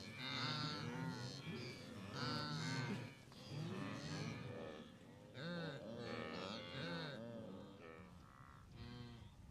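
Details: Great Migration of blue wildebeest at the Moru Kopjes, western Serengeti, on 7 April 2012: loud overlapping honking, moaning calls from many animals, each a bending harmonic bleat of about half a second, heard almost without pause.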